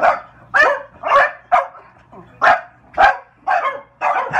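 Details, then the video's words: Two French Bulldogs indoors defending their apartment against window washers outside; loud, rough barks and yodel-like yelps repeated about twice a second, eight sharp bursts in a row. "French Bulldogs Bill & Ted vs. Window Washers"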